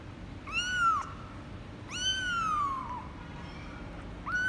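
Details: Kitten named Hajime, 24 days old, born to ex-stray mother cat Laki in Cambodia, meowing while weighed on 24 January 2020; three long arched meows, the second drawn out and falling, with quiet room background.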